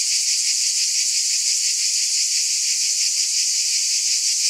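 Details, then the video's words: A wall of cicada buzzing, sharp and hissy, holding one even level with a slow ripple of pulses beneath the high whine. "Scintillating Cicadas"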